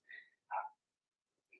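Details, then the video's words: Blenheim Cavalier King Charles Spaniel puppies from Remy's first litter of six, in a home puppy pen. Two quick high yips follow each other within half a second, then a faint short squeak after a pause. "Cavalier Puppies Bark, Howl, and POOP"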